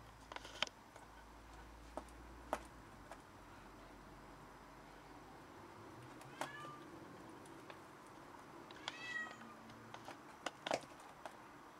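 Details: Cat having brought in a caught rat to brag gives two drawn-out meows a few seconds apart, the second higher and longer, amid scattered clicks, taps and a faint low hum.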